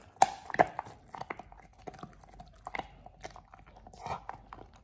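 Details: Oliang, a Pit Bull, eating a raw ostrich paw for the first time indoors: irregular wet crunching and biting clicks, sharp bursts spaced unevenly, with quieter gnawing between loud snaps in a small room.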